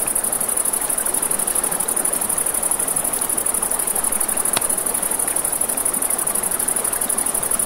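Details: Riverside crickets at night give a steady thin, high-pitched pulsing chirr without pause, over a broad rush of river water and scattered crackles from a campfire, including one louder pop midway.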